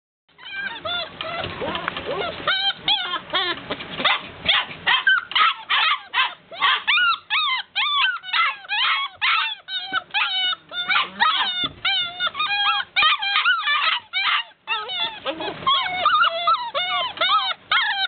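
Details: Golden Retriever puppies wanting to be let out, a group crying together in a constant chorus of high, rapid whines and yelps, overlapping with no pause across the whole stretch.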